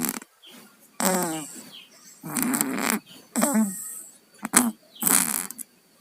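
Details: Cats Tayen and Lilu, sick with colds, snoring in their sleep: irregular congested bursts with a wavering, gurgling pitch, each lasting under a second, with short pauses between.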